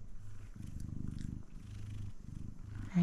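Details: Close, deep purr of a male F2 Savannah cat, rhythmic rumbling in short breath-paced bursts, closing on a quick voiced chirp.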